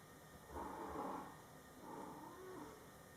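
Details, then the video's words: Mother cat Coco murmuring to her Scottish Fold kittens, born July 22, 2012, during their first month of life: two soft, low, breathy vocal bouts, the first longer and louder, the second fainter, over quiet room hiss. "Mom Cat Talking to her Cute Meowing Kittens"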